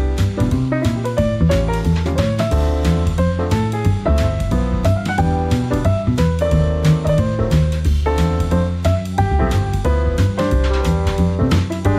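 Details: Jazz-style instrumental music with piano, keyboard and drum kit plays throughout, with dense chords and steady beats and no animal voice.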